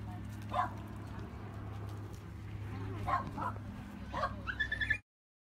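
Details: Border Collie puppies giving a few short, scattered yips over a steady low electrical hum, ending in a brief high, rising whimpered whine before the sound cuts off.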